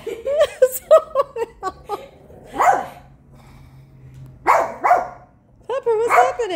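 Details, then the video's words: Domestic dog barking at a man shown on TV. A person talks rapidly at first, then three loud, harsh single barks follow at roughly 1.5-second intervals. "Dog barking at TV!"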